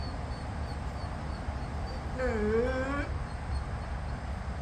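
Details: Jindo dogs on a Thursday; one gives a single short whimper, under a second long, dipping and then rising in pitch with clear harmonics, over a steady low rumbling background.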